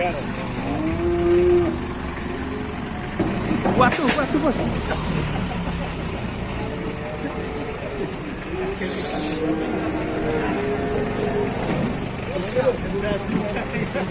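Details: Agitated cattle being unloaded from a truck give low, drawn-out moos, partly buried under engine rumble, clattering and hiss. Men's voices are heard.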